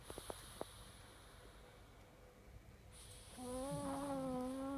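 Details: Pug snoring: after a quiet stretch with a few soft clicks, a steady droning tone with stacked overtones starts and holds for about a second and a half, wavering slightly in pitch.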